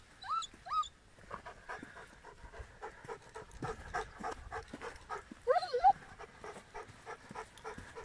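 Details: Giant schnauzer Blackmoore Uno Nicolas Radinie panting in quick, fairly uneven huffs, close to three breaths a second, with a couple of short high rising whines at the start and a brief whine midway.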